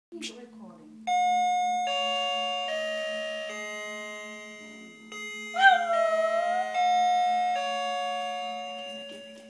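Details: Samia, a West Highland White Terrier cross, howls along with the doorbell: a sustained, wavering, rising-then-falling howl breaks in over ringing electronic chime tones. Speech is heard briefly at the start, and a steady buzzing hum runs underneath.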